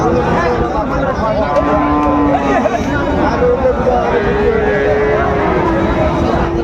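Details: Sahiwal bull calves for sale at the opening of Raniganj market in Dinajpur, 27 March 2025. Long, low drawn-out moos, one near two seconds in and a longer one later, rise through loud crowd chatter, bargaining voices and vehicle noise.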